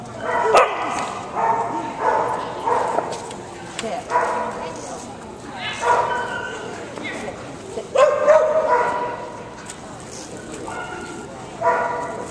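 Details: Canaan Dog barking during an agility run at an agility trial in Davie, Florida, 10 February 2019; short harsh barks come in bursts roughly every second or two, mixed with a handler's voice and crowd chatter.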